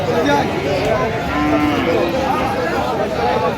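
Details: Lowing amid market bustle at Aftabganj haat in Dinajpur, where Friesian and cross-breed bull calves are bought and sold, 12/11/25; a level, drawn-out moo mid-clip, with men bargaining and chatter all around.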